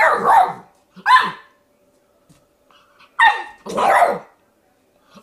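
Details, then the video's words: Puppy named Milo barking at its own reflection in a mirror, indoors; four short, sharp high-pitched yaps in two pairs with brief silent gaps between them. "Puppy in the mirror"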